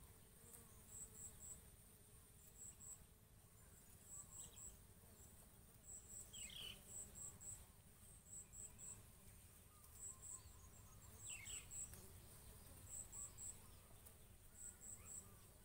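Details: Bees pollinating and feeding on coconut flowers: a low, steady droning hum with faint layered overtones. Short, high-pitched ticking chirps recur in groups of two or three throughout, along with a few brief sweeping sounds.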